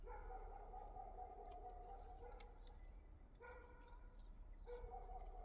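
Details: Liisi the yard cat utters three steady, tonal meows, two long and one short, with brief clicks and a low background hum between them.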